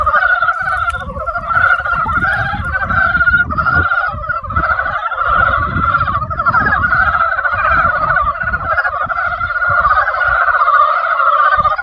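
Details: Frogs in spring croaking in a large chorus: overlapping rapid, rattling calls form two bright, sustained pitch bands that pulse continuously, with a quieter low-frequency murmur in the background.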